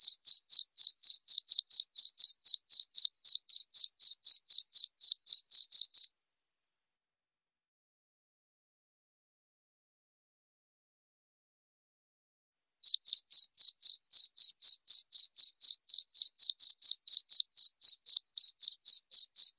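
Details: Cricket chirping in rapid, evenly spaced high-pitched pulses, about four per second, for six seconds, then a long silence of nearly seven seconds before the chirping resumes at the same steady pace; no other sounds.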